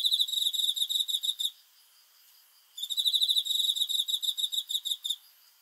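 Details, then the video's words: A cricket calling at night gives a bright, high, rapidly pulsed chirp train of about one and a half seconds, falls silent for over a second, then resumes with a longer pulsing burst. "귀뚜라미 소리"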